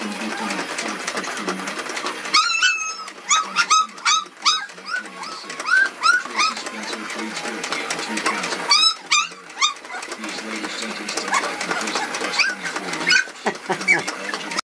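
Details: Red poodles make bursts of thin, high, upward-sliding yips and whimpers. The bursts come in bouts separated by brief lulls, over steady indoor background noise.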